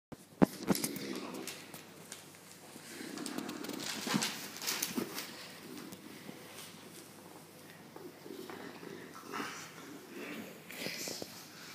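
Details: Female English Bulldog being teased, a game she loves, baring her teeth; low rumbling grunts and snorty growls come in uneven bursts throughout, with a few sharp clicks and handling noises.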